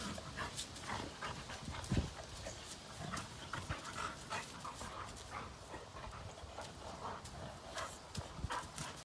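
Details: Father and son Labrador Retrievers, Cash and Kaody, romping together; softer, quick panting breaths with a couple of sharp low thumps.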